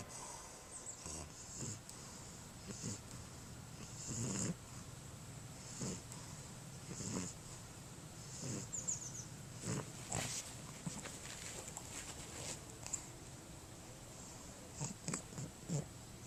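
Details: An English Bulldog with a short flattened nose, narrow nostrils and breathing problems shows inspiratory stridor: a harsh, rasping, snore-like noise on each in-breath, every second or two.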